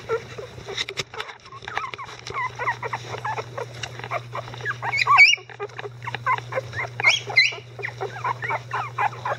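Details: Eleven-day-old Icelandic Sheepdog puppies in the litter of Gaela, helped by both grandparents; scattered squeaky whimpers and a few sharper high yelps mix with rustling and a constant low hum.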